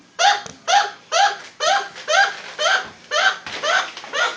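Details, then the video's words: Pet chinchilla named Professor Nibbles, just woken up and calling out a warning about the dog, giving loud harsh barking squeaks repeated about twice a second, nine in a row indoors. "Chinchilla making noise"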